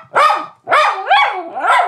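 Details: An anxious Miniature Schnauzer at home barks frantically as a visitor arrives: three quick barks in under two seconds, mid-pitched and whiny, each sliding up and then down.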